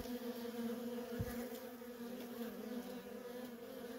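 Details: Unbroken droning of worker honey bees at a feral colony, the hum holding steady throughout with a single soft thump just past the first second.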